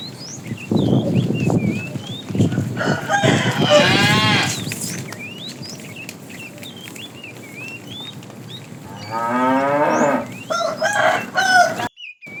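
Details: Cattle and calves herded in the morning, wandering and looking for food: several loud harmonic moos, one long bawl then a shorter one near the end, with birds chirping steadily behind.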